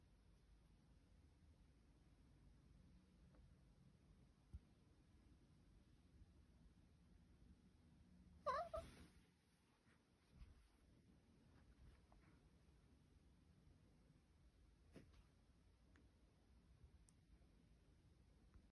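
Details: A pet cat named Mac, recorded on 14 February 2023. One short meow sounds about eight seconds in, a brief tonal cry that rises and falls. It is set against quiet background hiss, and no other clear sounds are heard.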